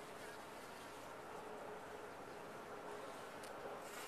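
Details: Honey bees in a top-bar hive making a constant dense hum with a faint thin tone running through it, plus a couple of short clicks near the end.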